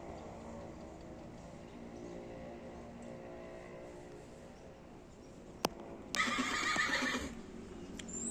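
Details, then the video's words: Horse giving a short, quavering whinny lasting about a second, heard after several seconds of steady low hum and a single sharp click; the hum continues faintly afterwards. "horse sounds"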